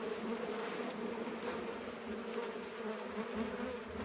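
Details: Dense hum from a honey bee hive being harvested, boxes separated to reach the heavy bottom frame; a uniform low buzz with a faint higher overtone holding steady throughout.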